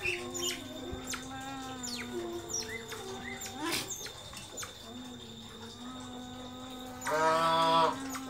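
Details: A naughty pet otter pesters its companions. Scattered thin descending chirps lead to a loud, harmonic, rasping squeal near the end, all over a constant droning background tone.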